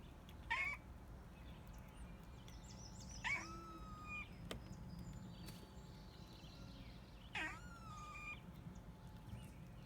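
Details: Cute noises from a pet cat: three short, bright calls spread over ten seconds, each a quick rising onset trailing into a drawn-out thin tone, with a faint click and light high chirping in the quiet background.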